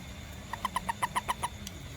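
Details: A little toad after rain, foraging for ants around a home and garden, gives a quick run of about eight short, clicky croaks, evenly spaced and mid-pitched, over a faint steady background hum.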